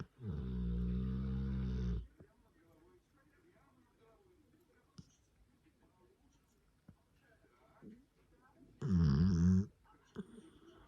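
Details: Sleeping grey Cane Corso, one of Taira and Tessa, with a deep two-second snore, several seconds of near silence with faint soft noises, then a shorter wavering snore.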